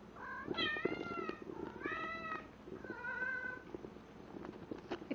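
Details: Male house cat calling out while mating with a stuffed toy animal: three or four drawn-out meowing yowls over a busy background of rustling and thumping noises.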